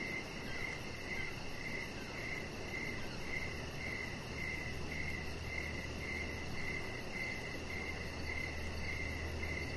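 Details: Crickets sing outdoors in the evening near a deck lit with decorations, where a chihuahua puppy lies. Rhythmic mid-high chirps repeat nearly twice per second over a low hum, with a faint quick pulsing higher up.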